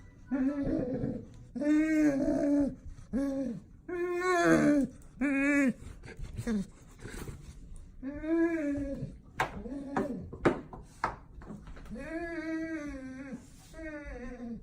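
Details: Golden Retriever excited to see its owner indoors, making a string of odd Chewbacca-like grumbling moans, each about a second long with rising and falling pitch, broken by short gaps, with a few clicks and noises between.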